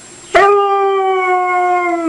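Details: Pet dog vocalizing as her owner says "I love you": after a brief click, a clear, level howl holds for nearly two seconds, drifting gently lower toward the end.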